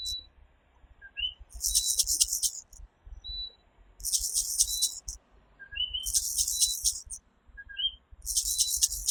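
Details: Nighttime chorus of the coquí, a tiny Puerto Rican tree frog: brief low-then-high 'co-kee' notes recur every couple of seconds beneath loud, pulsing, high-pitched rattling buzzes.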